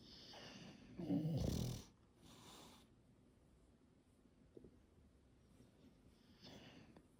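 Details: Sleeping English Bulldog snoring while being petted: one loud, deep, rasping snore lasting nearly a second, followed by softer breathy exhalations and a faint snuffle near the end in a quiet room.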